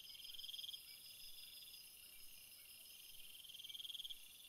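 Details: Shrill cricket chorus over a field, with quick pulsed trills of fast repeated chirps near the start and again near the end, separated by a steadier high hum.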